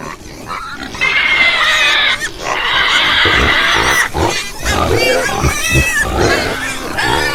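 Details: Two long, piercing pig squeals, each about a second or more, give way to a jumble of short grunts and softer squeaks from a group of pigs.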